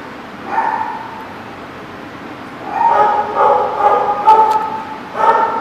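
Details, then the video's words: A dog gives one lone high bark, pauses, then a quick run of several ringing, tonal barks followed by a final yelp. "The Barking Lot"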